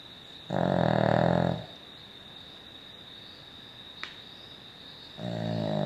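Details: Snoring from Poppy, a Cavalier King Charles Spaniel: a harsh, rattling snore lasting about a second, a quiet gap with a soft click, then the next snore starting, over a faint constant hum.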